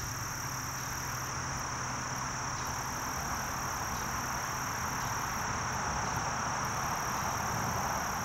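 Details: Short-winged meadow katydid singing: a steady, high, hissing buzz runs unbroken throughout, with brief even higher buzzy bursts around 1.5–2.5 and 5.5–6.5 seconds, over a constant low rumble.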